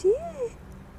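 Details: Feral bonded kittens Khepel and Zebel, slowly being socialized and learning to play with people; one short meow that rises and then falls, about half a second long, over a faint low hum.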